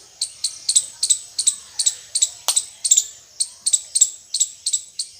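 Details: Indian squirrel chirping, a fast run of sharp, high, clipped chirps repeated about four times a second in steady bursts, with a quiet background.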